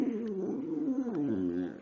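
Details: Precious, a female pet dog, singing and talking on 5/6/2011: a wavering, drawn-out moan, sliding down and then up again with a rich, harmonic tone, lasting nearly two seconds indoors.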